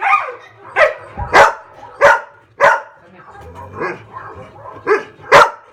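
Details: Pet dogs at home bark excitedly in reaction to barking sound effects played nearby: a burst of sharp, harsh barks, irregular, about four in five seconds, with softer grumbling barks between.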